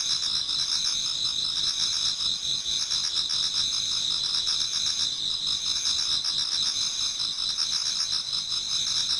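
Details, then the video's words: A Japanese garden's autumn insects at the approach of dawn: steady piercing trills at several heights blend into one continuous chorus, with a quieter pulsed buzzing below that swells slightly now and then. "Autumn Insects voice Towards dawn"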